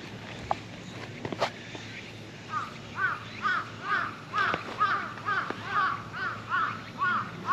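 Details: Approached under a truck, a stray cat answers with a steady series of short, chirpy mews, about two per second for five seconds. A few sharp clicks and knocks come just before, over faint outdoor rumble.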